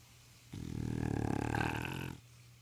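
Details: English Bulldog snoring while asleep around the house, recorded on a phone: one long, rough, rumbling snore lasting about one and a half seconds, low and grating with a buzzy rattle, in a quiet indoor room.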